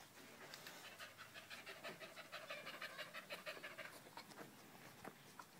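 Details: Danco, a dog stuck to someone's leg on 5 August 2013 while Malinois puppy Amy is around, pants hard and fast, about three harsh breaths per second over a steady background hiss.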